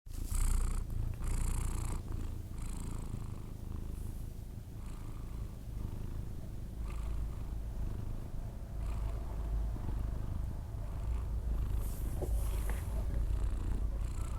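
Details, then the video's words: Sleeping Persian cat snoring: a steady low rumble runs throughout, with soft breathy hiss bursts on each breath roughly every one to two seconds. "record my Cats snore when he sleeping"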